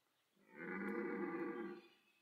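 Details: Red deer stag at Parc Sainte-Croix animal park during the autumn rut, amid pursuit, mating and fighting between stags; a single deep, harmonic, moaning bellow lasting just over a second, rising in and fading out, in a quiet setting.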